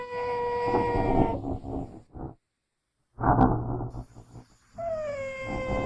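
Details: Genet from its natural habitat uttering a sustained, descending, tonal mewing wail that breaks into a rasping growl, then after a pause more growling and another falling, whining mew.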